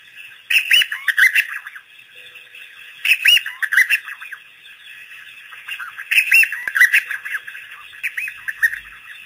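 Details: Pack of African painted dogs at Pete's Pond, first visit after researchers released them on April 5, 2008: squeaky, bird-like chirps with bending pitch come in two-second flurries separated by quieter pauses, against constant high background buzzing.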